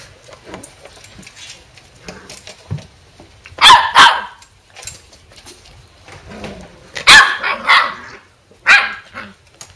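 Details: Corgi puppies at a kennel, just awake from a nap, give sharp, high, yappy barks in short bursts, with quieter yips between; recorded October 23, 2014.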